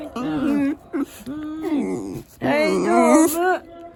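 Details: Yuzu, a Shiba Inu, voices fear during a second typhoon emergency alert ahead of Typhoon No. 14 in Japan; indoors, a string of talking-like moans and whines, rising and falling, ending in a long loud wavering wail.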